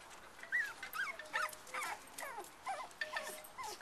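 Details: Litter of black and black-and-white cocker spaniel puppies playing with each other and their mother; high squeaky whimpers and yips, short bent notes repeated about once a second, overlapping.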